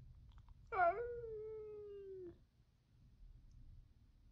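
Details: A clingy younger male cat named 時雉 calls for attention, acting dog-like while his cat-flu-stricken housemate is isolated: one sharp rising onset drawn into a long, steady, slowly falling meow of over a second, against a quiet low hum.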